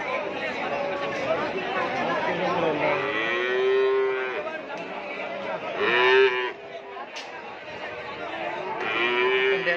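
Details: Madrasin crossbred Madura calves at a sale; several loud, mournful moos in a row, each a long bellow that swells then fades, spaced about every two to three seconds, over a background of people talking.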